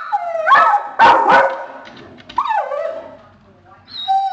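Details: Warning dog reacting to a deer family in the front yard, a whining bark kept for deer: rising whine into a pair of loud barks, then a long sliding whine and a high thin whimper.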